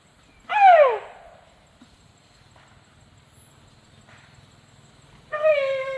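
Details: Sido Ham, a tuskless male Asian elephant that keeps calling to beg for food: a loud falling squeal opens, a quiet stretch with a low background hum follows, then a steady, level harmonic tone begins at the end.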